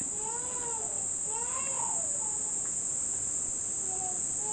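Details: Cicadas first heard this summer at a family home in Nishinomiya, Japan, near the end of the rainy season: a steady, high, unbroken buzzing drone runs throughout, while an infant cries in wavering, rising-and-falling wails.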